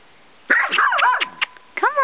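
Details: Mocha, a skittish female puggle, vocalises nervously, unsettled by the camera, while being coaxed to come closer: a wavering, whining bark-howl with sliding pitch, a short break, then a final rising-falling yelp.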